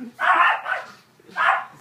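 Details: Yorkshire Terrier wearing boots for the first time gives two short, harsh, high barks, the first longer and trailing off, the second a brief yap a second later, indoors.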